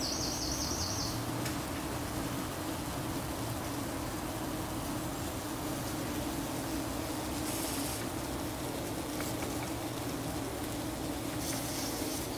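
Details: Low, continuous droning buzz from a buff-tailed bumblebee nest in a nest box, recorded 4 July as young queens emerge; brief high chirping bird calls break in at the start and twice later.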